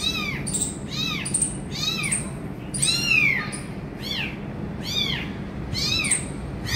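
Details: Abandoned kitten with its injured mother cat, which finally feeds it: high, arching meows repeated roughly every half second to second, some drawn out and sliding downward, over a steady low background hum.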